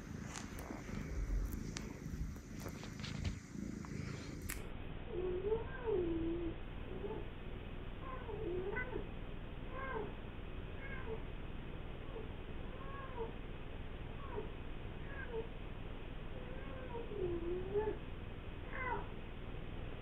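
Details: Male British Shorthair cat indoors on its owner's lap, giving soft, short, wavering meows repeated every one to two seconds. The first few seconds carry a burst of rustling handling noise before the quiet meowing begins.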